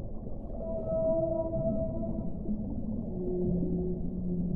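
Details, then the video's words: Whale singing a few sustained tonal notes: a clear higher tone held for about a second and a half, then lower drawn-out moans overlapping near the end, all above a steady deep background rumble. "1 ora di suono delle balene"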